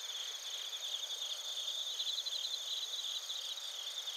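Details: Bell crickets and field crickets singing together in Narita, Chiba, Japan, recorded with a TASCAM Portacapture X8; shrill continuous trill with rapid pulsed chirps strengthening midway, no other sounds.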